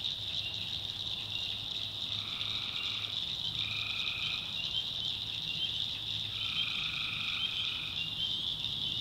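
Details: Night swamp chorus of tree frogs in North Carolina backwoods. Three drawn-out trilled calls of about a second each stand out over a constant, dense, high-pitched insect-like drone.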